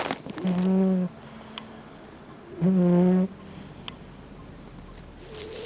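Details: Snoring from Gin, a house cat whose snores are strikingly loud: two steady, deep, buzzing breaths about two seconds apart, each lasting over half a second with rich harmonics, over a quiet room background.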